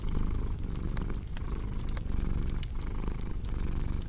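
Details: Close, low cat purr rising and falling with breaths, while a fireplace crackles and pops alongside.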